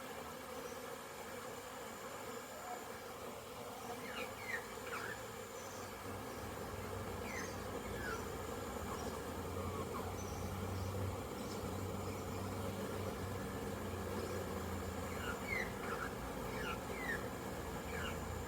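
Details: Honey bees on orientation flights around a very busy hive on 22 September 2022, with many bees inside and outside. A steady, low, droning hum runs throughout, with a few faint, short, falling chirps above it.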